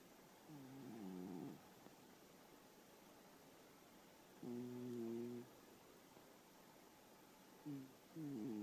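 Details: Elderly domestic cat asleep and snoring: three low, buzzy, harmonic snores, each about a second long, spaced several seconds apart with quiet breathing gaps between them.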